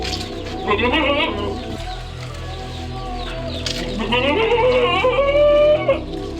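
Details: Goat with a strange-sounding voice giving two drawn-out, wavering bleats, each rising and bending in pitch with rich harmonics, the second longer and higher; steady background music plays throughout.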